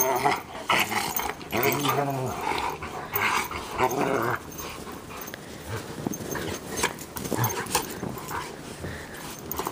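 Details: Two Bernese Mountain Dogs, Minnie and Bear, playing in the snow: low, rumbling play growls with harmonic bands and short whimpering sounds, mixed with a human voice and crunching, rustling noises of the romp.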